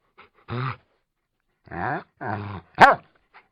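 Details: Labrador Retriever recorded for a sound-effect collection with a Tascam or Zoom field recorder: three drawn-out, moaning whines with rich harmonics, about a quarter-second each, ending in a sharp, loud bark in a quiet room.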